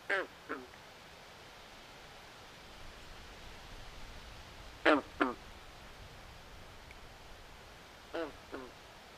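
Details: Swamp frogs at night giving rasping, duck-like croaks in quick pairs, spaced several seconds apart, the middle pair loudest, against a quiet steady background hiss.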